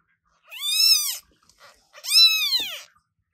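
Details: Newborn British Shorthair kitten meowing very loudly indoors: two high, arched, harmonic-rich cries about a second apart, each rising then falling in pitch, with near silence between.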